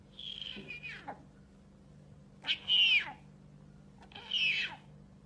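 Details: A captive snow leopard at Perm Zoo gives three high, meow-like calls, each bending downward at the end.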